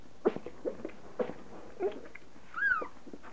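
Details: Standard poodle puppies, three and a half weeks old, at their first meal of soaked mushy kibble; brief high squeaks and short whimpers, one thin rising-falling whine near the end, amid soft licking and shuffling.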